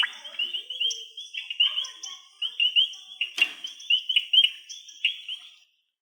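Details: A chorus of frogs at a pond during fieldwork gives high, overlapping clicking chirps and claps in a steady stream, loud calls used to call out to others.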